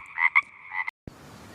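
A frog gives a short series of raspy, nasal croaks, then the sound cuts to a brief hiss.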